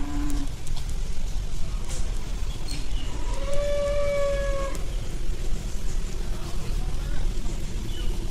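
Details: A tame cow at an animal market, being fed, lets out one clear, fairly high, steady moo lasting about a second and a half, against constant low market rumble and faint distant voices.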